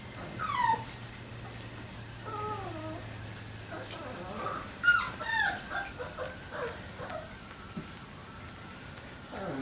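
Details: Three-week-old Labrador Retriever puppies giving high, wavering whimpers and squeaky whines that slide down in pitch, several short cries following one another, with a low steady hum beneath.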